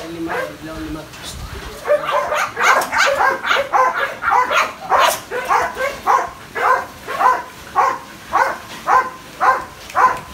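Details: Phola, a Belgian Malinois almost two years old, barks in a steady series of sharp, broadband barks roughly twice per second. Some voices and other sounds come at the start, then the barking settles into an even rhythm.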